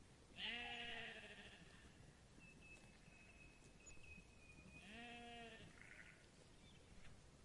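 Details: Two quavering baas from a sheep, about four seconds apart, over steady background hiss with a thin high steady tone in between.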